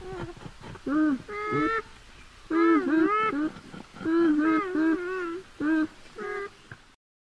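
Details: Beaver calling: a run of nasal, whiny cries with rich harmonics, each rising and falling and lasting under a second, given in bursts separated by short pauses, with no other clear sounds.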